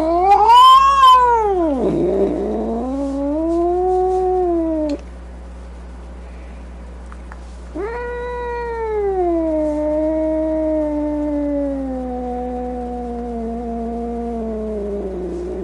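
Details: Furious cat delivering two long, moaning yowls separated by a short pause: the first swoops sharply down and back up, the second starts high and slowly slides lower, steady and drawn out.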